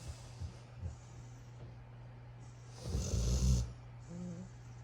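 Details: Puppy asleep among his brothers, giving one loud, rough, low snore near the middle and quieter snuffling breaths before and after it, over a constant low hum.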